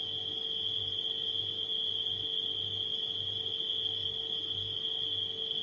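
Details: Unbroken high cricket trill from nighttime crickets, paired with the deep wavering drone of a running refrigerator.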